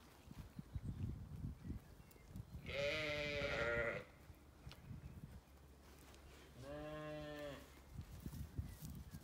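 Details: Sheep, ewes with lambs, in a sunny orchard on a County Kilkenny farm in Ireland; two drawn-out harmonic bleats about a second long each, separated by rustling and low thumping handling noise.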